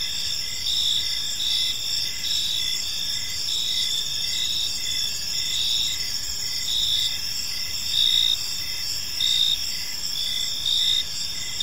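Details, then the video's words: Gentle evening chirping of crickets in a serene park, a shrill continuous trill with regular pulsed chirps from several callers and soft low background rumble. "Cricket Sounds in a Peaceful Park"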